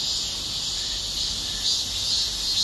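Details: Cicadas in chorus on a hot, windless summer day, around 32°C, on a shaded forest walking path; a loud, steady, high-pitched buzzing hiss with no breaks, from cicadas described as the loudest kind.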